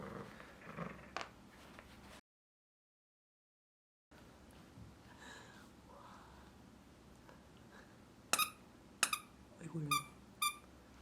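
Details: A three-month-old female mixed-breed puppy named Bokjin romps indoors; after muffled thumps and low sounds, a burst of clipped, piercing yips arrives near the end, several in quick succession.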